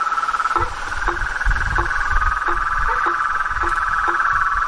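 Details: Toads, frogs and tree frogs heard in nature: a constant high trilling chorus with short, abrupt low croaks at irregular intervals of about half a second, over a low rumbling background.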